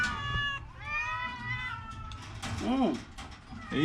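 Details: An orange cat ill with a cough and a cold lets out two meows, the second long and gently falling, followed by rustling and handling noises.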